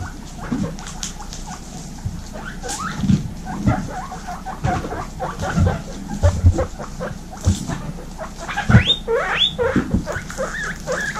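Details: Baby female guinea pigs from a group of 26 kept together, giving rapid overlapping squeaks with low thumping and rustling throughout, then loud rising whistled wheeks near the end that climb steeply in pitch.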